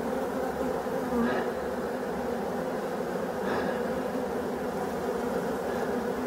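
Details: Colony of black bees in a restored abandoned hive, foragers returning: a constant low droning buzz with two faint brief rustles over it.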